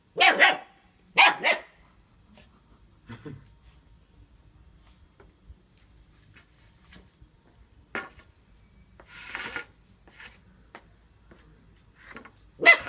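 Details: Tiny eight-week-old German shepherd puppy playing with a broom in a garden, giving two short, bright barks close together at the start, then scattered faint sounds and a final sharp bark at the end.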